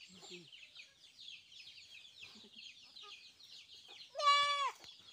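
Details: Newborn goat kid around vaccination time giving one loud, strong half-second bleat that holds steady then drops at the end, following a stretch of dense high chirping from birds or chicks.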